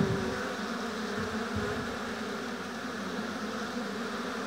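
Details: Honey bees at an apiary hive give a low, steady collective hum, slightly louder at the very start, then an even drone with faint lower rumbles.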